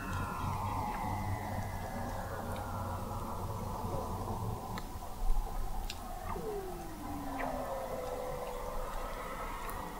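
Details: Weddell seals under the sea ice of McMurdo Sound, Antarctica, recorded in November 2017 by the McMurdo Oceanographic Observatory 21 m below the ice; a few descending gliding whistles rise over a steady low hum and faint clicks.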